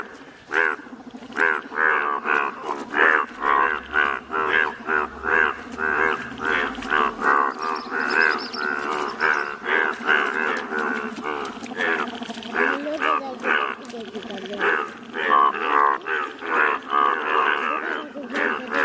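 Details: Many Indian bullfrogs, yellow-coloured, call at once in Malkangiri, Odisha, each giving a loud, nasal, almost mooing croak; the calls pulse rapidly and overlap into a steady, throbbing chorus.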